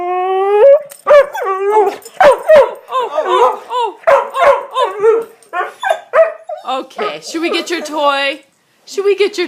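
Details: Sully, a pet dog, throws a temper tantrum after pushing his bone under the sofa, giving drawn-out whiny, howling, grumbling vocalizations that rise and fall in irregular bursts, interleaved with a person repeatedly asking what happened.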